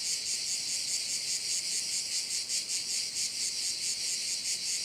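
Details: Crickets at one of the bays of Korčula, Croatia, filling the air with a dense, high, steady buzz that pulses rapidly and evenly without pause.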